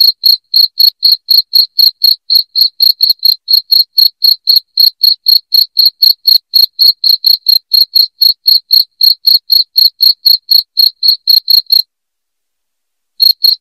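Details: A loud cricket sound played to chase rats out of a house. Rapid high-pitched chirps pulse about four times a second for twelve seconds, fall silent briefly, then start again at the end.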